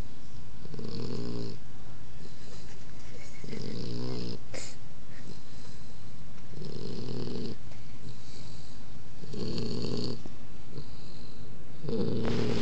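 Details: Odin, a puppy, snoring very loud while asleep, likened to a human snore: low rasping breaths in steady bursts about every three seconds, each inhale a buzzy, harmonic-rich rumble, with faint background hiss.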